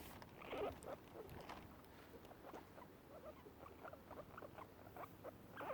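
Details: Two guinea pigs give short, soft squeaks and chirps, their happy sound, while eating grass, with faint munching behind.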